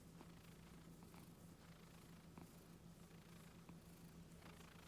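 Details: Gentle pet Scottish Fold cat purring as it is stroked around the neck and ears at home: a continuous deep, even rumble with faint rustling touches scattered through it.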